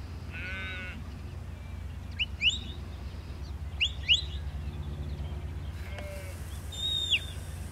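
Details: Sheep herded in a field by the four-year-old Border collie Lars. One strong, quavering bleat opens the clip, followed by a fainter call, while quick high bird chirps sound repeatedly over a constant low hum.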